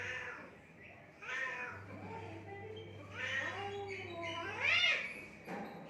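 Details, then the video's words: Cats fighting in Assam, India, exchanging a string of bending, harmonic yowls and growling wails that build to a loud shriek near the end, over a faint steady hum. "assam cat fighting by mud & water original funny sounds"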